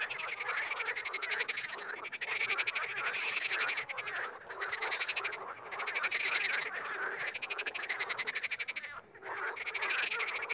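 Frogs croak in dense, rattling bursts, one steady chorus with brief pauses between pulsed runs.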